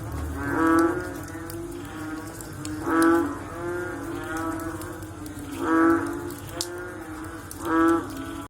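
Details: After rain, frogs give low, mooing, harmonic calls. Four strong calls come roughly every two and a half seconds, with fainter overlapping callers and a constant low rumble beneath.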